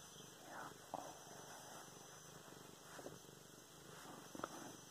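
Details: Luna, a domestic cat being petted, purrs in a low, even rumble, recorded November 24, 2016; a few short clicks and rustles from touch punctuate the steady hum.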